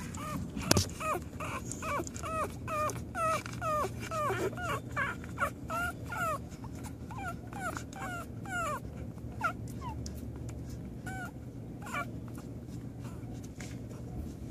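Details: American Pit Bull Terrier on its first day, giving a rapid, continuous series of high-pitched whimpers and short yips, several per second and uneven in rhythm, thinning out in the last seconds over a steady low background hum.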